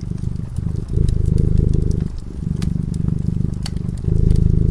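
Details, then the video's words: Domestic cat purring while it sleeps in front of a crackling fireplace; a low, steady rumble swells and softens in cycles of roughly one and a half seconds, with sharp fire crackles popping above. "Purring cat"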